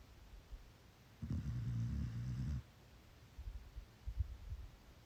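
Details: A sleeping chocolate Labrador Retriever puppy gives one low, rumbling snore, followed by softer snuffling breaths.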